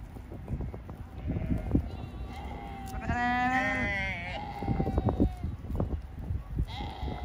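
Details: Sheep beside the Rhine river in Düsseldorf: drawn-out bleats, one loud quavering bleat in the middle lasting about a second, against wind and low rumbling background noise.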